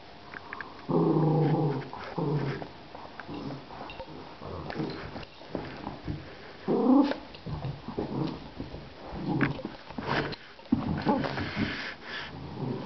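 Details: Sammy, a kelpie puppy, and Yoda, a mini dachshund, play tug indoors on a rainy day. They give a sustained rumbling growl early on, then shorter growls and scuffling bursts, with soft yips and whimpers between tugs.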